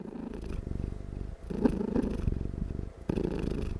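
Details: Domestic cat dozing while purring very loudly without stopping, a deep continuous buzzing rumble that swells and eases with each breath, close and clear in a quiet room.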